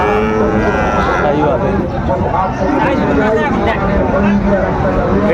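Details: At Dinajpur's Raniganj market on 27 March 2025, Sahiwal bull calves bellow in long, low moos that swell and fade beneath steady haggling speech and crowd bustle.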